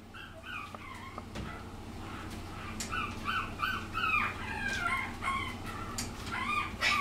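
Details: Puppy from Lilo's litter, the second daughter, a little over six weeks old, filmed March 17; thin, high whines rise and fall in quick uneven bursts, with a low steady hum underneath.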